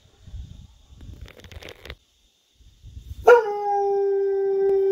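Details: Guard dog Roobee, a female, howling at night before bed as if talking to coyotes in the wilderness; after soft low rustling, a loud sustained steady howl with a flat tone begins and holds to the end.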